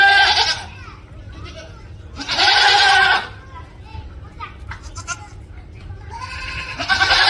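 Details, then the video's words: Screaming goat giving two loud raspy cries, one at the start and another long one near two seconds, with quieter murmuring sounds between them and a final cry rising at the end. "SCREAMING GOAT"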